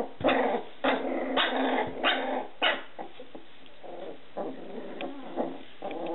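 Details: Scottish Terrier puppies growling and yipping, short rough broadband bursts about every half second, louder in the first half and then softer, scattered yaps trailing off toward the end.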